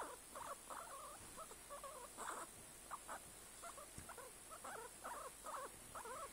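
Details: Guinea pig giving a run of short squeaky calls, wavering up and down, repeated several times a second in bursts over steady background hiss with a constant high-pitched whine.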